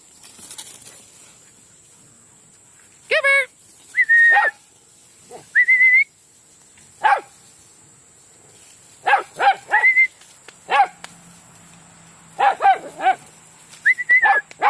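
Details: Yard play session with the dogs Taro, Mouse, Honey, Foster and D: repeated sharp barks in clusters of two or three across fifteen seconds, mixed with short high whistled tones and a person's voice calling out.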